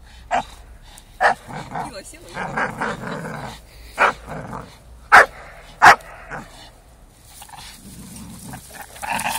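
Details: Four-year-old Staffordshire Bull Terrier having fun with a five-month-old American Staffordshire Terrier: scattered sharp barks, two loudest close together mid-way, mixed with rough play growls and some human talk.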